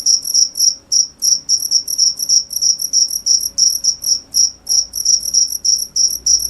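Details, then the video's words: Loud cricket chirps in high ringing pulses, some doubled, about three per second with small irregular gaps, over a soft low rumble. "cricket sound"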